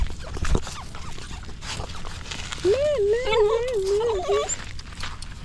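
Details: Stray puppy crying for help in someone's arms: after low rustling, one long wavering whine rises and falls for nearly two seconds, ending in a short upturn, with background noise throughout.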